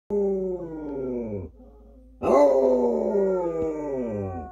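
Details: A Basset Hound, one of a pair that howls habitually, howls in long, mournful notes that slide downward, then starts again after a short pause.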